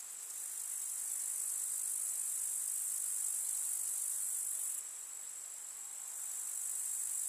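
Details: Chirping grasshoppers in a rural summer meadow with field flowers: a thick, shrill, unbroken insect buzz holding steady for nearly five seconds, then softening briefly before swelling again.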